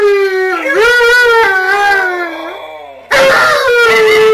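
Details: Group howling by three Siberian Huskies: a wavering howl that dips, climbs, then slowly sinks and fades, followed by a sudden loud new howl joined by other voices.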